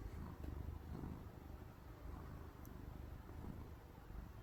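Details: Pet cat named Fondue purring while asleep, sounding like snoring: a low, steady rumble that swells and fades in soft pulses, with faint room hiss and a tiny click near the end.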